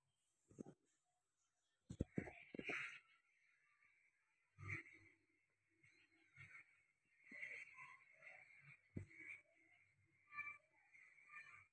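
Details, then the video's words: Persian cat mother with her baby kitten indoors; thin, high squeaky calls come in short bursts every second or two, mixed with soft breathy wheezes and a few sharp clicks and knocks. "Persian mother cat and baby kitten"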